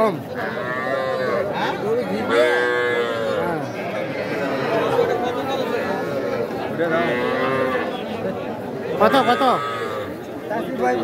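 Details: Cattle calling at Aftabganj market in Nawabganj, Dinajpur, on 5 September; repeated deep moos sound every few seconds, some rising into hoarse bellows, amid continuous crowd chatter.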